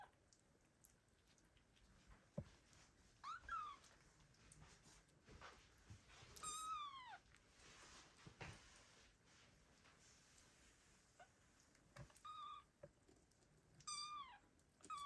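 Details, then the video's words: Kittens abandoned by their mother cat in 2022 meow loudly, calling for her. Five or so piercing, downward-sliding meows come at irregular intervals, some short and sharp, with occasional clicks and knocks between them. "The kittens meow loudly and call their mother cat"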